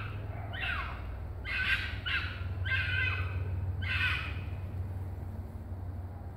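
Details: A fox giving four raspy, hoarse screams in quick succession, each a brief noisy burst, then falling quiet, with a constant low hum throughout.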